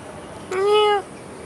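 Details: Cat roaming outdoors in Singapore utters a single clear meow of about half a second, a steady harmonic tone that dips slightly as it ends, heard over soft background hiss.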